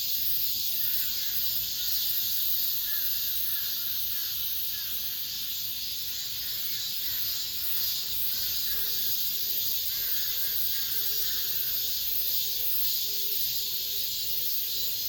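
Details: Last cicadas of the summer in an apartment complex: a constant high buzzing wall of sound, with other faint repeated calls woven in around the middle and a short series of lower notes near the end.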